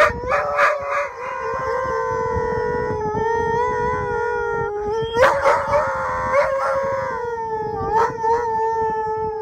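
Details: Two huskies by Mosaic Stadium in Regina hold a long, steady, mournful howl with broken yelping bursts at the start, middle and end over a second, lower voice.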